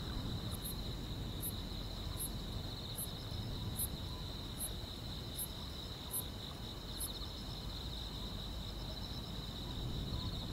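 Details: Grass insects on a quiet rural summer night: a steady high whining band runs throughout, with sparse, very high, clipped chirps about every 0.8 seconds. A low, constant rumble lies underneath.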